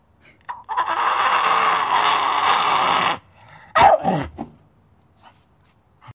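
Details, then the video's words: Staffordshire Bull Terrier talking: a sustained moaning howl-like grumble held for over two seconds, then a brief sharp squeaky yelp and a few quiet grunts in a small indoor room. "Talking Staffordshire Bullterrier"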